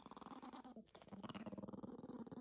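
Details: Angry Yorkshire Terrier puppy growling continuously, a rough pulsing rattle with steady rapid throbs and a brief break near one second.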